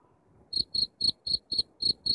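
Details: Short burst of cricket chirping for chasing rats out of the house, with seven sharp, high chirps spaced about a quarter second apart after a brief quiet start.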